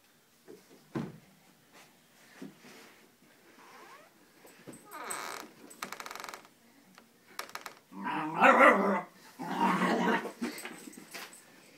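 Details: Wheaten Scottish Terrier Abbey confronts a fake dog, making scattered low grumbles early on, then a burst of rough, harsh growling barks in the last seconds. Quiet human talk and indoor handling noises sit underneath.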